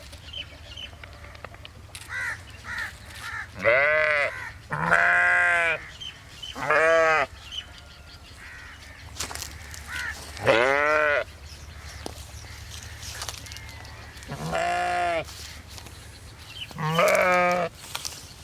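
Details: Sheep bleating repeatedly, with about eight harmonic, wavering baas of varying length, some short and some drawn out, spread across the recording over a steady low hum.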